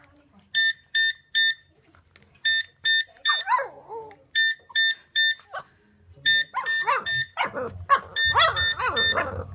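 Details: Nala, a pet Boston Terrier, howls along with a ringing phone. Bursts of beeping ringtone pulse steadily at first. Wavering, whining howls rising and falling in pitch join after about three seconds, and more howls overlap the ring near the end.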